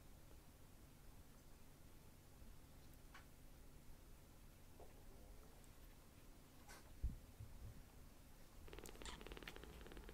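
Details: Tiny palm-sized rescued kittens, newly taken in, purring while being affectionate; a soft, low continuous rumble under room hiss, broken by a few clicks and handling rustles, with a louder burst of rustling near the end.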